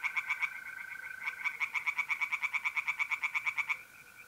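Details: Night chorus of tree frogs in a pond, North-East Italy, mid-April: a brief burst of clicking croaks, a gap, then a long rhythmic string of about three croaks per second beneath a continuous mole cricket trill.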